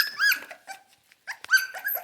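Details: Central Asian Shepherd Dog puppies, probably wanting food, give two brief high, clear yelping whines separated by a short pause, with a faint sharp click.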